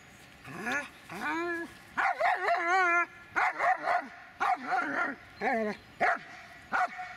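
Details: Dobermann named Magmar Von Der Burgstätte voicing rapid, wavering whines and yips, a string of about ten short tonal cries with trembling pitch, bunched closely together.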